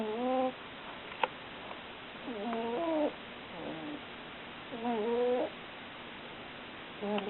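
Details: A pet cat named Nubi snoring, with a tonal, wheezy snore on each breath, three drawn-out bursts roughly every two and a half seconds and another starting at the end, in quiet indoor surroundings.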